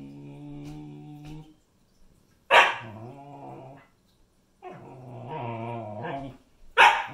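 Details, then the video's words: A sassy Siberian Husky puppy telling off her sister indoors: steady low growls interrupted by two sharp, loud barks, with rumbling grumbles between them. "My Husky Puppy Tells Off Her Sister!"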